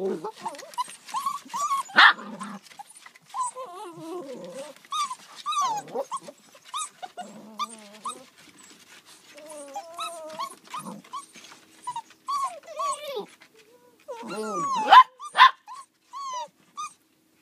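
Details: Border Collie puppies in west Ireland giving a run of short, high whimpers and yelps, some rising then falling, others squeaky and brief. They come in irregular bursts with soft gaps between, and now and then louder yelps break through.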